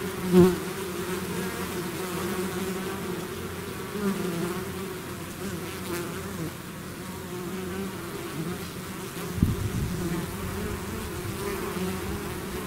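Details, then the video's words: Bee swarm emerging from its hive, a deep, steady buzzing hum with two sharp louder bursts as bees zip close, near the start and about nine seconds in. "bees therapy swarm natural buzzing sound"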